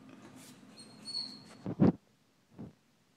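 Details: Scottish Terrier going wild over a squirrel on the neighbour's roof, indoors; a brief faint high tone first, then a quick pair of short, sharp barks followed by a third, softer bark a moment later.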